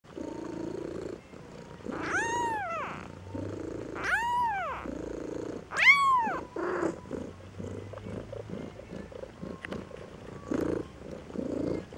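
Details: A 2-week-old Maine Coon kitten in Saint Petersburg, Russia, expresses displeasure with three high, arching mews of complaint over a low, steady purring rumble.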